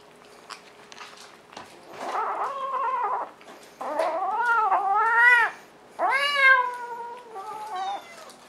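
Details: Pet cat giving a run of insistent meows indoors, several drawn-out wavering cries back to back, some rising sharply at the start, growing louder toward the middle, with a short softer meow closing the sequence.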